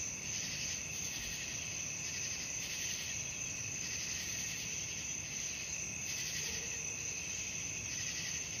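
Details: Nighttime cricket chorus: unbroken high chirring with periodic louder bursts about every one and a half seconds against quiet background noise.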